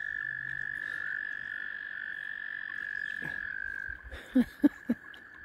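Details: Frogs gathered to mate around a kayak sustain a continuous high-pitched trilling drone; near the end three short, louder low thumps break through the chorus.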